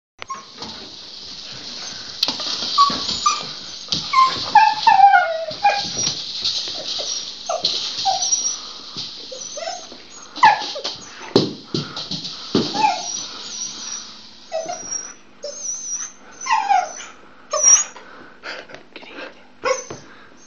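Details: Luna, a pet dog, playing with her rattle ball: high, wavering whimpers and short yips, mixed with a rapid scatter of rattle clicks from the ball and a steady hiss behind.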